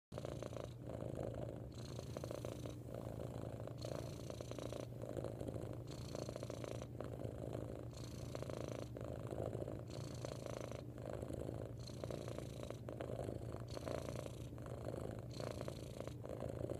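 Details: Domestic cat purring loudly and without a break, a steady low rumble whose texture changes with each breath, every second or so, as it alternates between the inhaled and exhaled phases; no other sounds.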